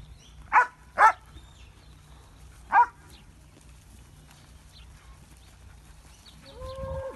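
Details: A Belgian Shepherd working with cattle on a ranch gives three sharp, short barks, two close together and one after a pause.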